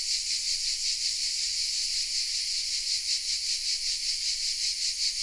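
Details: Hidden among the oaks of a small southern French village, Vézénobres, cicadas produce a steady, piercing electric buzz that throbs in fast rhythmic waves, recorded with a Sony RX10 M3 camera.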